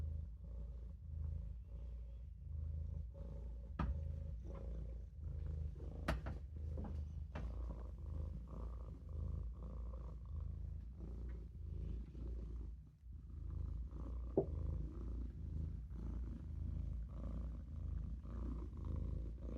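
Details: Low, droning purr from Olof, a Maine Coon kitten dozing in a sink, steady and rumbling with a few faint clicks and a brief pause partway through.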